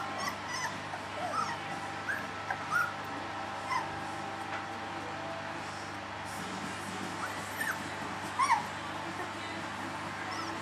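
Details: Three-week-old puppies give scattered short, high squeaky whimpers. Some curve upward and some curve downward, and they come in small bursts over a steady low hum.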